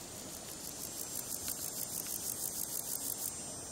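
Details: A male marsh meadow grasshopper (Chorthippus curtipennis) stridulates with legs and wings in a quick run of dry, high-pitched rasping pulses, recorded July 20, 2013, at Earl Rowe Provincial Park, Ontario.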